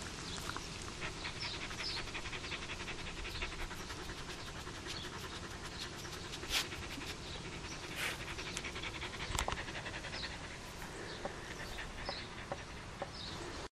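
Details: Zippy, a Spitz, eating an insect, perhaps a grasshopper or praying mantis; fast breathy panting runs continuously, broken by sharp crunching clicks while chewing.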